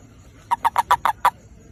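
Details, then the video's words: A single burst from a toad seeking a mate: six clipped, throaty pulses in quick even succession, lasting under a second, on a quiet background. "เสียงคางคก คางคกหาคู่"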